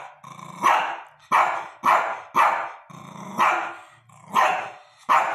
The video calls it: Shih Tzu barking